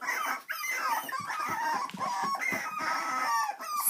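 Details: AKC miniature dachshund puppies: a steady run of overlapping high, whining squeals and whimpers, many bending up and down in pitch, with a few short clicks between them in a small indoor space.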